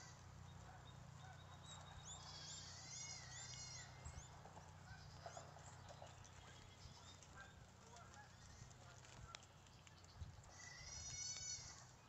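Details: Guinea pigs eating fruit on a guinea pig farm: bursts of high, rapidly repeated chirping squeaks around two to four seconds and again near eleven seconds, over a steady low hum and chewing noise.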